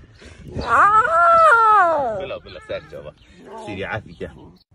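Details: Lion cub practising its roar: a drawn-out, moaning, tonal call that rises, holds, then slides down over about a second, followed by talking and people's voices nearby.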